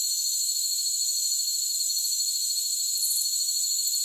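Crickets chirp in a dense, steady chorus of high, ringing tones.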